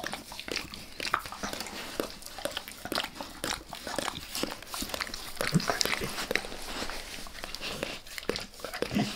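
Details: Dog named Max licks a person's face inside a small room, a steady run of moist slurping and smacking tongue strokes, dense and irregular, with a faint low room hum beneath.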